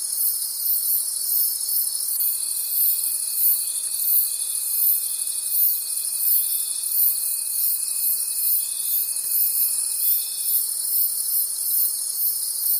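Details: A night chorus of forest crickets, high and continuous, beating in regular pulses about three per second, with a thin sustained whine present through most of the middle stretch.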